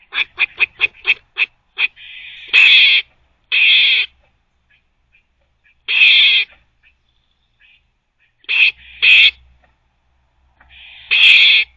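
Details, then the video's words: A squirrel barking while teething and chewing gives a quick run of sharp clicks, then harsh, buzzy barks repeated at intervals. "Squirrel barking (while teething) 😛"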